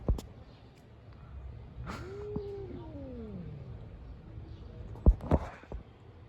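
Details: Street cats living outdoors, fighting: one long drawn-out yowl that rises and then slides slowly downward over about two seconds, with faint traffic-like background noise and a few sharp knocks near the end.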